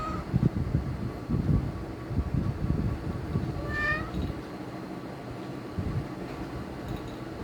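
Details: Cat giving a strange call: one short, high, wavering meow near the middle, otherwise heavy low rumbling background noise.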